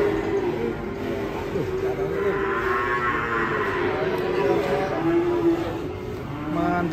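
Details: Enraged cow coming down off a truck, having run into a motorcycle; one long harmonic moo swells midway, under a steady bed of dramatic background music.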